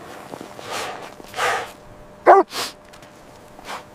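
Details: Puppies at play with their mother dog on fresh snowy ground in winter. One short, sharp yelp sounds midway, set among soft crunching and rustling bursts like paws moving through snow.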